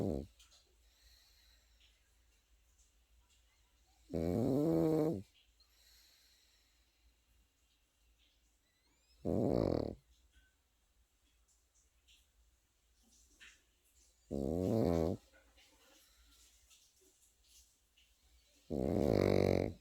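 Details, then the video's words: Sleeping Pekingese puppy snoring indoors: four deep, rattling, pulsed snores about a second long, spaced roughly five seconds apart, with near silence between breaths. "패키니즈 코고는 영상"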